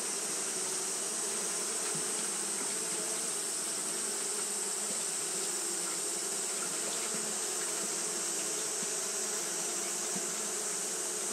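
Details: On a hot day, Japanese honey bees keep up their fanning, making a dense, continuous colony drone. The low hum and its overtones hold level throughout, with faint flickers from single bees over a steady hiss.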